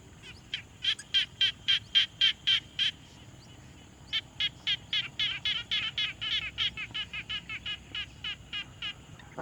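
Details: Frogs at a quiet pond, captured on a Tascam Portacapture X6: loud close run of evenly spaced rasping pulses, a brief pause, then a longer faster series with overlapping callers.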